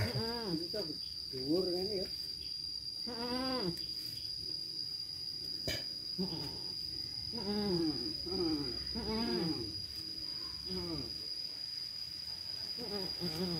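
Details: Several quavering bleats from goats and kids on a farm in Indonesia, each rising then dipping, repeated every second or two in overlapping bursts over a hissy background with a constant high-pitched tone and a sharp click.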